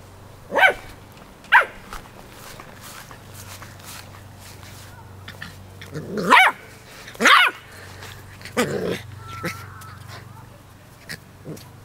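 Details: Ten-week-old Keeshond puppy battling a dandelion at play: short, sharp yips and barks scattered irregularly, two close together, then a louder pair in the middle and a few softer ones, over a steady low hum.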